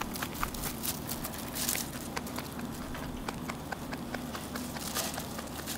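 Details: Rabbit munching food nonstop, a dense run of sharp, dry crunching bites close to the microphone with no pauses.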